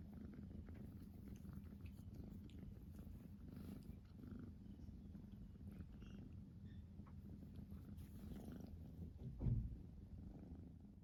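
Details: A Siamese cat called Rachel keeps up a soft, even purr while biting, a deep steady drone lasting throughout, with one dull thump near the end.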